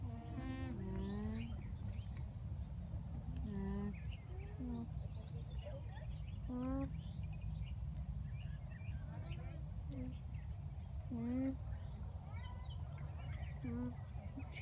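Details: Up-close phone recording of alpacas at a Townville, South Carolina farm: brief, mellow humming notes repeated every one to three seconds, some bending upward, over constant low rumble and soft scattered background sounds.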